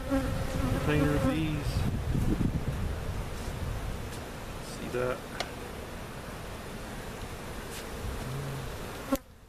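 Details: Relocated honey bees from a cutout at Jerome Bee Farm, Central Oklahoma, settling into their permanent hive: dense colony humming with individual bees flying close by, their buzzing pitch sliding up and down early on, over a constant low drone.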